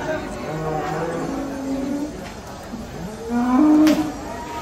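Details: Cattle unloading from a truck, three agitated animals described as uncontrollable; several sustained low moos, one swelling louder toward the end, over background chatter and bumping noises.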